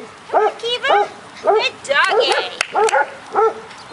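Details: Golden retriever puppies, six weeks old, romp on outdoor agility equipment: short arched yips come in uneven bursts, mixed with shrill rising squeals and a sharp click, while a person talks in the background.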